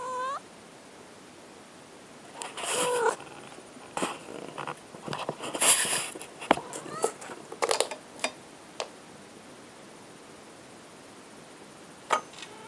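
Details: A domestic cat meows briefly at the start, then a cluster of short, harmonic mews and clicks and scrapes follows, some sharp and loud, before fading to quiet with one last faint call.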